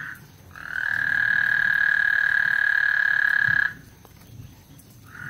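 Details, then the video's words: Frog serenade before a thunderstorm at Lake Houston: one sustained, evenly pitched buzzing trill of about three seconds, framed by short fragments of calling at either end, over a faint low rumble. "Lake Houston Thunderstorm and Frog Serenade"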